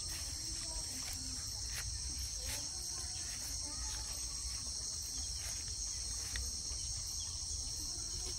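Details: Crickets at the Buzima homestead, among pastured cattle and sheep, keep up a steady, high, shimmering trill with no breaks, over a low rural rumble and a few faint clicks.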